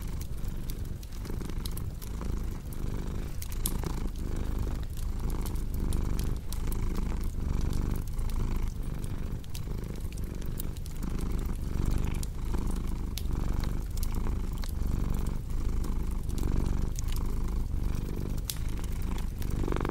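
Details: Domestic cat purring steadily as a low, continuous rumble that swells and fades with each breath, about every three quarters of a second, over the crackle and sharp pops of a fireplace.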